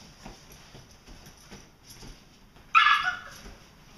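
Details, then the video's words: Two Vizslas play fighting in August 2012: after a stretch of quiet scuffling and soft thumps, one sudden loud harsh bark-like yelp rings out with strong harmonics, then fades within half a second. "vizslas play fighting"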